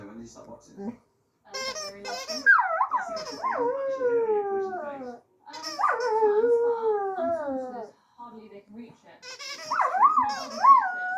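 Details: Singing dog giving three sustained howls, each opening with a quick upward swoop and then gliding gradually lower, with a few soft whimpers and a short gap between phrases.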